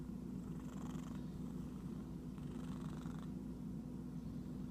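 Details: Itchy domestic cat purring: a steady low rumbling drone throughout, with soft rustling or scratching bursts around one and three seconds.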